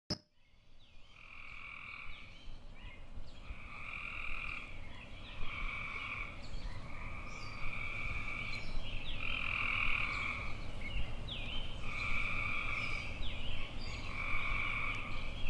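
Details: Tree frogs calling: a series of musical, trilled croaks, each about a second long, repeated every one to two seconds. A steady low rumble of background noise runs underneath.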